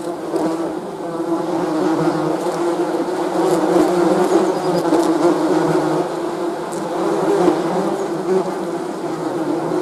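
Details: Honey bees buzzing steadily, a dense continuous hum of many overlapping wingbeats with shifting tones, no pauses, no other sounds.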